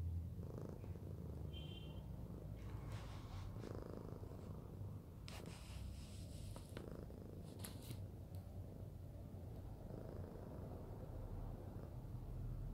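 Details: Cuddled fluffy house cat Arya purrs continuously in a low rhythmic rumble, punctuated by soft rustles and brief clicking sounds of movement.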